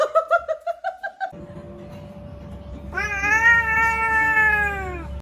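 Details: A pet cat making strange noises: a rapid series of about nine short chirping calls in the first second, a steady faint tone, then a long loud wavering meow that rises slightly and falls away.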